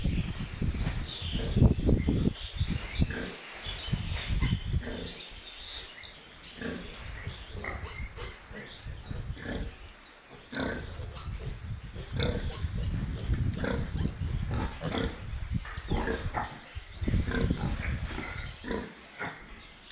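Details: Piglets on a pig farm keeping up a busy stream of deep, irregular grunts, roughly three or four a second, with scattered short squeaks above and faint voices in the background.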